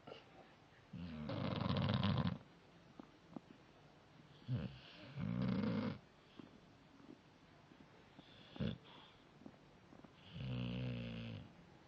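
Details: Jaicoooo, a pet dog, snoring indoors: loud rasping harmonic snores of one to one and a half seconds, separated by quieter gaps with soft breaths and small snorts, with a sharp click near the end.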